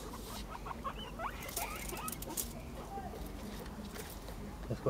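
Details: Guinea pigs, five of them, chasing each other in play like follow the leader; short high squeaks and brief chirps over soft pattering feet, with a person's speech now and then.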